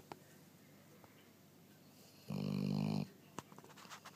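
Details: Sleeping pet dog, one of many snoring episodes: quiet breathing, then a single long, loud, rasping snore lasting under a second, followed by faint snuffles and small clicks indoors.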